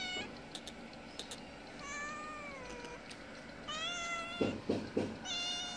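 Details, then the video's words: Mother cat of a small kitten meowing to ask for food at a house she visits twice a day; several drawn-out harmonic meows, some rising then falling, with short clicks and knocks between them. "Kitten mother meowing asking for food."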